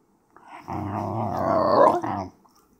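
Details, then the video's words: Excited Basenji giving a single wavering, yodel-like howl of about one and a half seconds, rich in harmonics, swelling in loudness toward the end before breaking off abruptly. "Basenji getting excited!"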